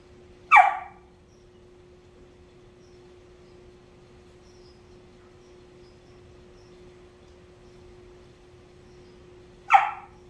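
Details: Whippet girl Lucy demanding her bed back from Pebbles, another dog who refuses to move: one abrupt bark, a long quiet gap of roughly nine seconds, then a second bark, over a constant faint hum.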